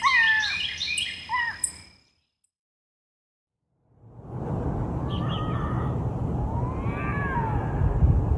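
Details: Bobcat howls played as a repellent for raccoons and rodents: falling, wavering meow-like cries, a silent gap, then a dense rumbling backdrop with thin rising-and-falling whines.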